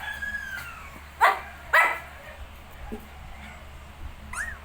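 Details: Shih Tzu with 19-day-old puppies: two loud, sharp high yips close together near the middle, faint thin whines drifting before and after, and a soft low hum underneath.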